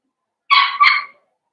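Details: Blenheim Cavalier King Charles Spaniel puppy, one of a litter of five born at New Year's to Paris and Spike, in a home puppy pen: a single loud two-part whine, clear and harmonic, lasting under a second in a quiet room.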